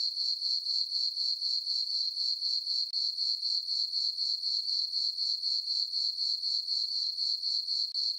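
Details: Crickets chirping on a farm meadow on a peaceful summer night under a full moon; a steady high-pitched trill pulsing about four times a second, unbroken and even, with no other sounds.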